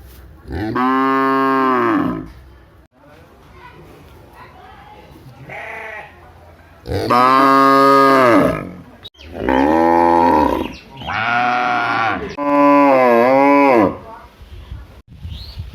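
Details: A big village cow gives several long, loud moos, each a rich, harmonic bellow lasting one to two seconds.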